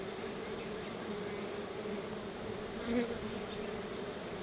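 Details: Many honey bees at their hive, gathering as they are offered a treat of store-bought honey, make a constant, even buzzing drone. One brief, slightly louder bee passes close near the middle.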